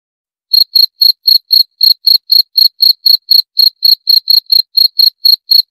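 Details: Half a second of silence, then a cricket starts chirping: crisp high pulses repeating about four times a second, with a brief pause partway through.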